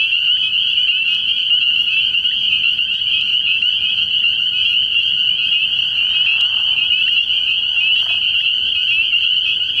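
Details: Unbroken chorus of spring peepers from a frog pond at night early in the year: many high, piping peeps overlapping into a loud steady ring, with a brief click partway through.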